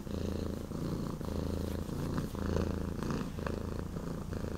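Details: Foster cat Pattric from Cat Haven WA, calmed after a bluffing hiss, purrs in a deep continuous rumble with rhythmic breath cycles roughly every second.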